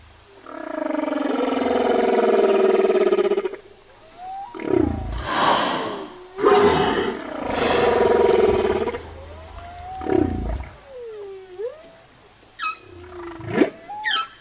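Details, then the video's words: Whale singing: long, loud, buzzy harmonic groans alternate with rapid rough bursts and sweeping whistled slides up and down, ending in short sharp upswoops. "ЗВУКИ КИТОВ / КАК ПОЮТ КИТЫ?"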